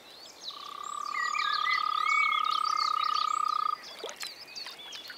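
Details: Frog calling in spring in the Czech Republic: one steady, rapidly pulsed, mid-pitched trill lasting about three seconds, then stopping abruptly, with birds chirping and whistling higher up throughout.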